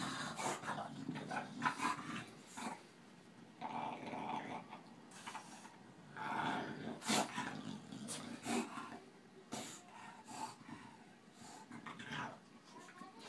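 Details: Two dogs, a Boston terrier and a bulldog named Tinker Bell and Lala, wrestling in play; bursts of throaty growling and huffing alternate with quieter pauses and clicking scrabbles.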